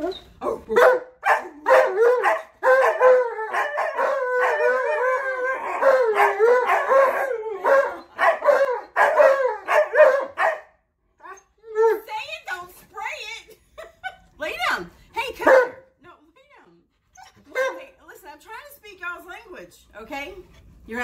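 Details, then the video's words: Two Alaskan Malamutes vocalizing together indoors as a person tries to mimic their language; dense overlapping wavering howls and yowling woo-woo calls, broken by short pauses and sharper bursts. "Malamute Won't Stop TALKING!"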